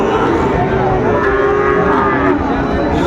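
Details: A single sustained, steady-pitched moo from a Sahiwal calf at Ambari cattle market on 4/4/25, held for over two seconds while market chatter continues around it.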